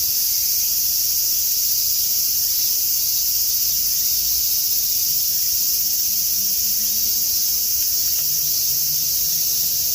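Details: A dense chorus of cicadas on a summer afternoon in Tokyo, with a typhoon approaching, fills the air with a steady, high, shimmering buzz.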